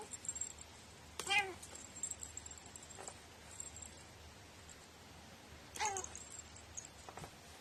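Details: Pet cat with a quirky voice meowing indoors: a short harmonic meow around one second, then another brief meow near six seconds, both fairly quiet over steady background hiss.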